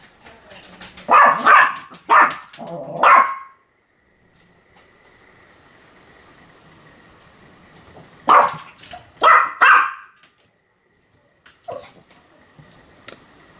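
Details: Pomeranian named Sam in a bout of continuous barking, 7 October 2015: a quick burst of three to four high yapping barks, several seconds of quiet hum, then another cluster of three barks and a final softer yip.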